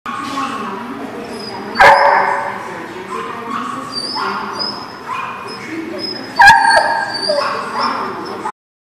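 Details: Dogs recorded on 23 March 2019 giving short high yips and whiny cries in bursts, two sharp clicks or knocks, over a constant background murmur of voices.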